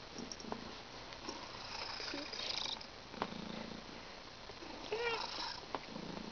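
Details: Vinnie, a pet cat who sounds congested every day, indoors: snuffly, rasping breaths in irregular noisy bursts, some rough and purr-like, with a soft human voice briefly in the background.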